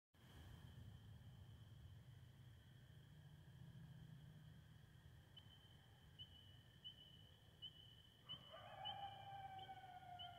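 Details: Coyotes break into long, falling howls in the last two seconds after a quiet stretch. A steady high whine and a low rumble run underneath the whole time.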